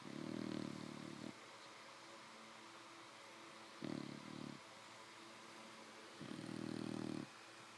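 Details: English Bulldog puppy Fannie, five months old, snoring while sleeping with her eyes open in bed: three gravelly snores, the first and last longer, the middle one brief, separated by quiet breathing and a constant faint hum.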